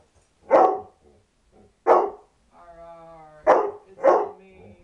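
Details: Pet dog angrily barking at a man because he is wearing a hat: four loud, sharp single barks about a second apart, with a drawn-out harmonic whine between the second and third.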